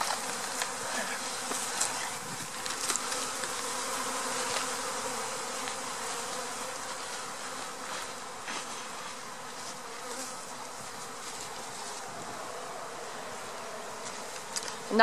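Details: A dense, steady hum of many honey bees from an April swarm being installed into a hive, a broad droning buzz with no break.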